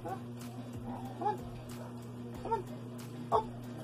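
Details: Siberian Husky named Sky barking to answer addition sums: three short, separate barks spaced roughly a second apart, heard over a steady low hum with faint background noise.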